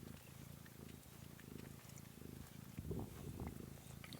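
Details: Kittens filmed on 13 March 2017 purring in a deep, even rumble that swells slightly louder toward the end, with light background rustling.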